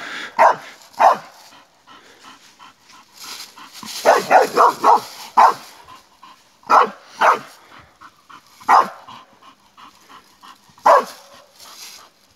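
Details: Barking from a Bull Terrier during an attack on a wild boar, irregular single barks broken by a rapid burst of four or five around the middle, spaced unevenly over twelve seconds with low rustling between.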